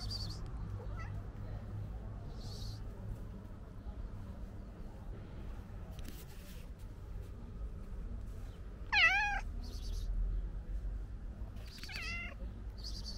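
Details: Friendly stray cat, happy to see a familiar person and dashing over, gives two clear wavering meows near the end, the first louder and falling, the second shorter, over a steady low outdoor rumble with faint high chirps.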